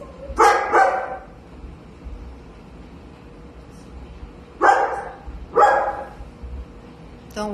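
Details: Walter, a golden retriever missing nearly a year after slipping out of his collar, barks from a basement during his reunion: paired quick barks, then a pause, then two more, with a quiet hum and faint talk.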